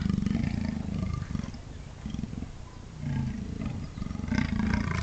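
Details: A pair of Amur leopards producing seriously intimidating sounds, low coarse pulsed growling almost continuous over five seconds, rising and falling in loudness with brief dips between bouts.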